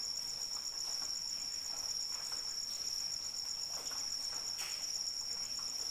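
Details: Crickets calling in the rain: a steady, high, ringing trill with a fast pulsed shimmer that never pauses, over soft rain patter with scattered drops tapping nearby.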